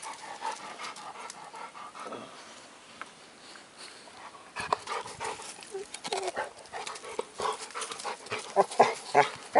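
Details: Labrador Retriever dog playing outdoors with a tree stump, panting rapidly and irregularly with breathy huffs and snuffles, growing louder and busier in the second half, with a man's voice speaking nearby.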